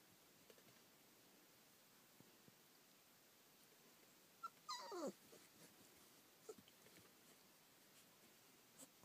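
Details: Collie puppies, 30 days old, filmed on 30 June 2013: a single high, falling whimper near the middle of an otherwise quiet indoor stretch, with faint shuffling and small knocks around it.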